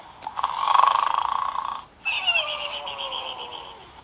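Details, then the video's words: Pig asleep and snoring: a rapid, rattling buzz that swells and fades over under two seconds, then a brief pause and a second, thinner raspy snore running to the end, with faint speech. "the Snoring Pig"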